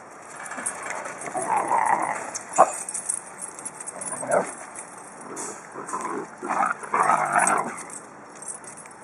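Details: Rescued Basenji pups play with Basenji adults, giving short, throaty yelps and whining bursts in uneven clusters.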